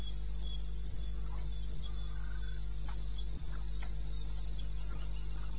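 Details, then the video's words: Night cricket chorus from eastern Botswana wilderness, recorded at 02:30 AM on 21 May 16: bright high-pitched chirps repeated quickly in short bursts with brief gaps, a few soft clicks, and a steady low background hum. "1 Hour cricket sound"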